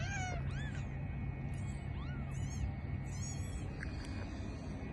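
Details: Newborn kittens, three born just now to a mother cat, giving thin, high-pitched mews. Each is arched, rising then falling, and several come in quick succession over five seconds above a steady low hum.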